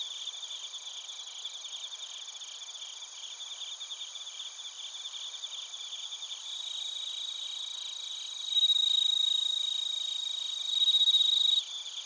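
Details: Bell crickets and other crickets recorded in Narita, Chiba Prefecture, Japan; a continuous high trilling chorus of pulsed chirps, joined twice by a louder pure ringing tone lasting a few seconds each.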